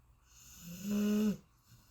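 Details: A single snore from a Golden Retriever in deep sleep: a short, rising, nasal buzz that holds a steady low tone for about half a second, then drops away to quiet breathing.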